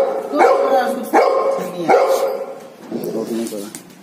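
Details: Three sharp, resonant barks from a Golden Retriever arrive roughly every 0.75 seconds. Quieter, lower and wavering vocal sounds follow before the clip ends.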